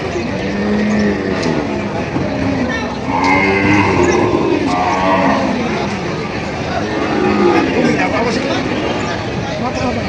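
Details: Cows and heifers at the Padre Garcia, Batangas livestock auction, July 17, 2026. Two drawn-out lowing calls, one early and a louder one near four seconds, rise through busy market chatter, voices and passing engines.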